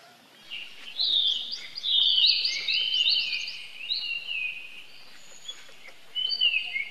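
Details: Baby monkey crying for help: strained high screams that waver and slide, overlapping in a dense outburst before tapering into thinner, fading cries.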